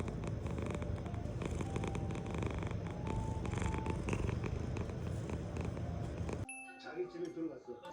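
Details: Low, even purring from Sobbang, a male British Shorthair, lasting about six seconds before cutting off abruptly, with light music playing underneath.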